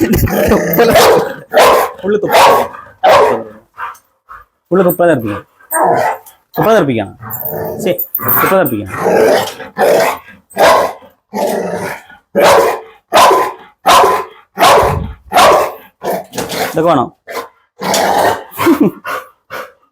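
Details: Pit Bull dog barking in sharp, broadband bursts repeated roughly once or more each second, fairly steady in rhythm, with people talking in between and over the barks.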